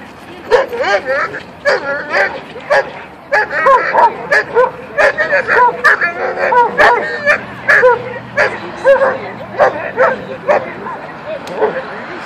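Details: German Shepherd in attack training, learning to attack only when told; steady volley of loud, harsh barks about every half second for the whole stretch, mixed with a trainer's spoken commands.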